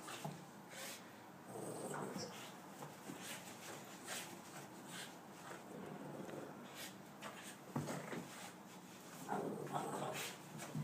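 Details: An energetic Boston Terrier gives short, scratchy grumbles and snorts in irregular bursts, with faint whimpers.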